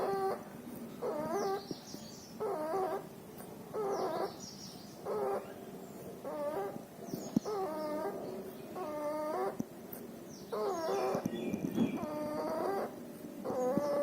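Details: A puppy ill with pneumonia and distemper breathes noisily with nasal discharge: a steady run of short, wheezy, whistling rasps, about three every four seconds, some faint high chirps and light clicks behind.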